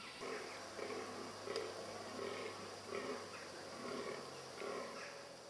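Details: A fallow deer (Dama dama) gives deep, hoarse groans roughly once a second during the rut, among a free-roaming herd of hinds and stags in Holkham Park, Norfolk, on 19 October 2008.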